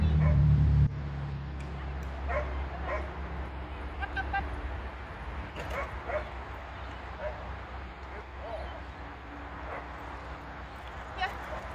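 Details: Border Collie barking during agility, short sharp barks coming in irregular bursts over a steady low rumble of wind or handling noise, with a voice speaking now and then.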